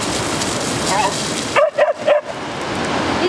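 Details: Fira, a timid female West Siberian Laika reluctant to cross a river, answers a woman calling her over with three sharp barks in quick succession, while the river rushes steadily beneath.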